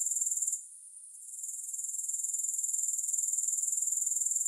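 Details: High, thin insect trilling from grasshoppers, sounded without music: a dense pulsed buzz that drops away after half a second, then slowly swells back to a steady rapid shrill rhythm.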